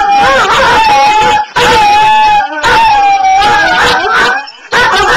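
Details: Two dogs howling indoors, long sustained wavering howls that rise and fall, overlapping in chorus, each bout lasting over a second with brief pauses between.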